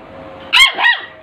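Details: Puppy barking in full aggression: two short, sharp, high-pitched barks in quick succession, the first louder and the second slightly longer, over faint background hiss.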